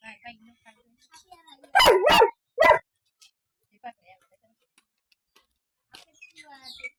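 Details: A two-year-old Golden Retriever resting, giving two loud harsh barks in quick succession and a third shortly after, amid soft indoor background sounds and faint voices.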